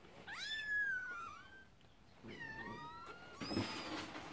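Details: Scottish Fold kittens meowing indoors: a long, clear, slightly falling meow, then a second rising-and-falling meow, with a breathier cry near the end and a low background hiss.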